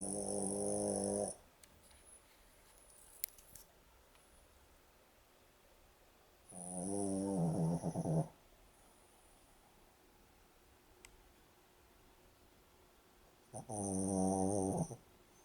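A Boston Terrier snores in loud, rattling bursts, each lasting about two seconds, with quiet pauses between.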